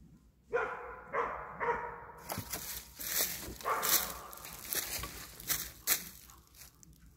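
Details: German Wirehaired Pointer hunting wild boar: a few short, rough barks spaced about half a second apart early on, followed by broad rustling and crashing noise with high scraping sounds.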